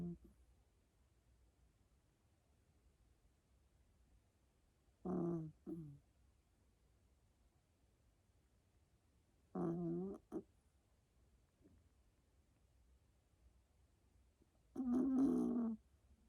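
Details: Female black-and-tan Miniature Dachshund puppy sound asleep on its owner's chest indoors, giving low, rough snoring breaths about every five seconds, each lasting under a second, in an otherwise quiet room.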